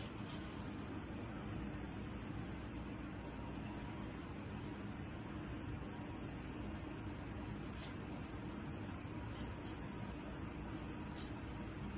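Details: Steady broadband rumble like passing traffic fills the recording, with faint murmured speech and no animal voice.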